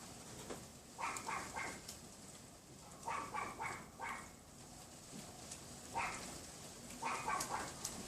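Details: Sharp, high yaps from a neighbour's Pomeranian behind a wooden privacy fence on a windy February 2015 afternoon, fired in clusters of three or four roughly every two to three seconds, with wind noise throughout.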